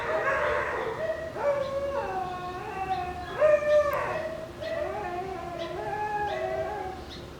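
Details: Shiba Inu puppies playing over a bone make strange fox-like screams: long wavering tonal cries, several overlapping voices rising and falling in pitch, sustained through the whole stretch.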